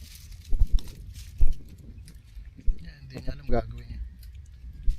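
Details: Hungry stray kitten being fed a freshly caught fish gives one short, rising, harmonic-rich meow midway, set against rustling, low rumbling background noise and occasional handling thumps.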